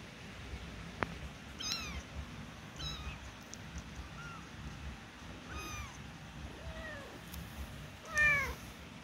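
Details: Newborn kittens about a week old, learning to walk, give a scattered series of thin, high mews, each sliding downward in pitch, with a few louder and longer cries near the end over a low steady rumble.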